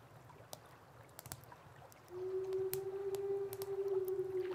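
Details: A big black wolf gives a long, steady, low howl that holds nearly level pitch after a quiet start, signalling its presence to its pack or answering calls; wolves 6–8 km away can hear and locate it.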